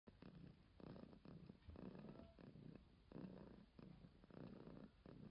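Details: Domestic cat purring softly and close, a low rumbling vibration in steady cycles of swelling and fading roughly every second as it breathes in and out, with no other sounds.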